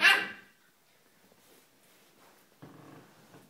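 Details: One loud, abrupt Shiba Inu bark right at the start, then low background noise and a faint rustling rise toward the end.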